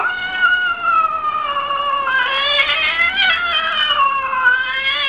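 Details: Domestic cat from a 2014 funny cats compilation giving one continuous, rich caterwaul that wavers slightly up and down in pitch for about five seconds, loud and close, with no other sounds.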